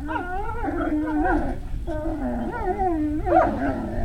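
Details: Great Dane puppies at Puppy Hill, recorded 3 May 2019 around 17:06, giving wavering, tonal whines and yelps that rise and fall in pitch, with several overlapping voices and short pauses between bursts.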